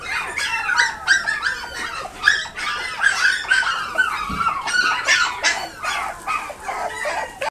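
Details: Toy Poodle and Pomeranian cross puppy at a pet shop in Nagoya, Japan, giving rapid high-pitched whimpers and yelps, many short squeaky calls in quick irregular succession with some whining slides between them.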